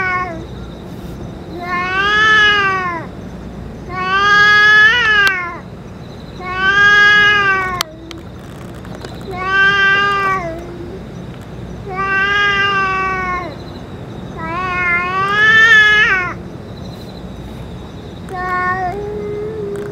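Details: Boss cat among stray cats after eating food and medicine: eight repeated drawn-out meows roughly every two to three seconds, harmonic and slightly rising then falling, a short sharp click midway, low hum throughout.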